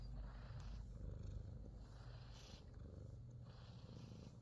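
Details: Himalayan Persian cat in New Zealand purring while it gets a full body massage: a low, steady, throbbing rumble with rapid pulsing. Faint rubbing and soft handling noises come and go over it.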